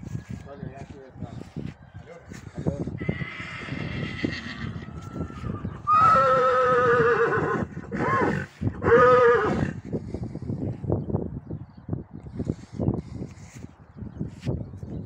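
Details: Breeding stallion brought to a Gypsy mare for mating on a farm, giving loud, quavering harmonic whinnies around three and six to nine seconds, with people talking and giving instructions throughout and hoof and handling noises between calls.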